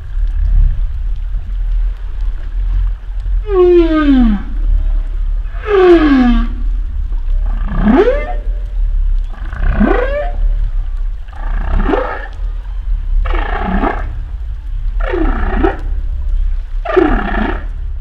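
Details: Sequence of humpback whale song units, about eight calls spaced roughly two seconds apart. Falling harmonic moans give way to rising upsweeps and then to rougher, broadband cries, over a constant low underwater rumble.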